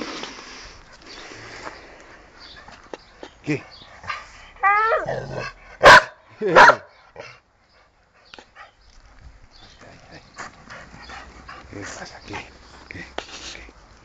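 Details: Dog barking twice in quick succession after a run of rising whiny tones, with a person's voice and faint background noise around the barks.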